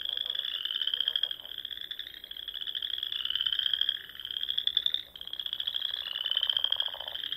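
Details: Frogs singing in the Nebraska Sandhills in spring at dusk, by small lakes and ponds; high, buzzy pulsed trills overlap into a dense chorus, dipping briefly around four and five seconds before resuming.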